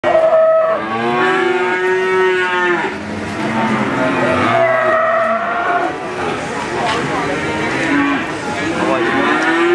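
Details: Crossbred Simmental calf mooing: long, rich harmonic moos that rise and fall, with several calls overlapping and following one another through the whole stretch.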